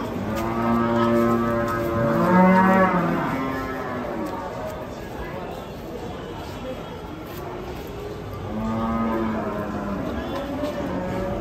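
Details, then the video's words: Raging cow hitting a motorbike while being unloaded from a truck, giving two long, deep, harmonic moos: one rising and falling over the first three seconds, another starting near eight seconds, over steady broadband background noise. "SAPI NGAMUK SEREM SEKALI NABRAK MOTOR SAAT TURUN DARI TRUK"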